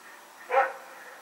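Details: One brief, loud bark from Rex, a dog running around at night, recorded on 21 September 2018, rising sharply out of soft background hiss and fading quickly.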